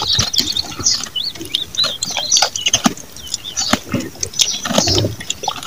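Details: Chewing goat at feed: close, crisp crunching and clicking sounds in quick uneven bursts, set against busy, high twittering chirps from several small birds.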